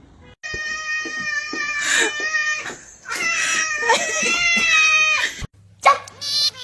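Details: Pet cat crying: a long, drawn-out, wavering high cry that runs for several seconds almost without a break. People talk over it, and a brief pause is followed by a shorter, rougher cry.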